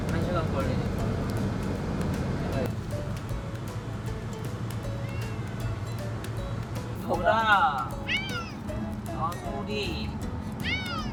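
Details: Domestic cat meowing during a car ride to a new house, as if finding the trip hard; a loud arched meow near seven seconds followed by shorter meows, over low vehicle rumble, background music and speech.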